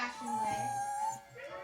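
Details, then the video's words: A dog whines while begging for food as its owner sits on the couch: a high, thin, steady whimper held for about a second with a slight upward lift, music playing faintly behind, then a person says "not for you". "Whining dog wants my food"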